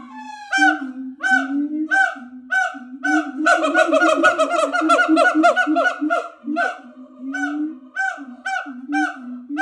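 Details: Siamangs at a sanctuary give loud, nasal, honking calls in a fast repeated series, swelling into a dense overlapping chorus.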